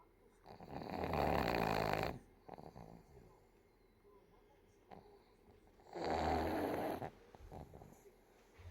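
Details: Pug puppy sleeping belly up, snoring loudly: two long, harsh, rasping snores about a second and a half each, separated by roughly four seconds of quiet breathing with small snuffles.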